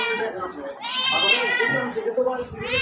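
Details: House cat meowing indoors: a rising, wavering mew swells in the middle and fades, with another short mew starting at the end, partly overlapped by a person talking and calling the cat.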